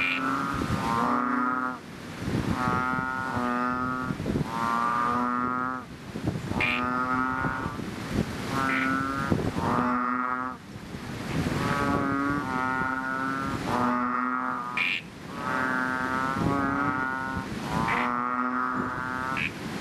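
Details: Fishpond chorus of chubby frogs just after rain: steady run of loud, buzzy, cow-like moans, each around a second long, given every couple of seconds, with several frogs alternating and overlapping throughout.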